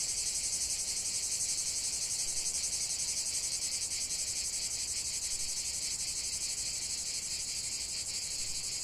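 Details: Chorus of cicadas in nature: continuous bright, hissing buzz high in pitch, pulsing evenly about four times a second throughout, steady in loudness, nothing else clearly audible.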